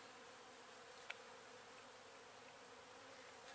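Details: Steady drone of honey bees during a hive removal in Weslaco, Texas, from a swarm that settled two weeks earlier; one sharp click midway and a louder handling noise at the close.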